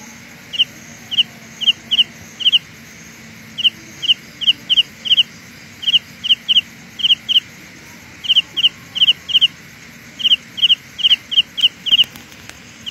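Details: Carolina ground cricket, a sound illusion: high, crisp ticking pulses in tight groups of two to four, repeating steadily across the recording with brief gaps, over soft constant background hiss.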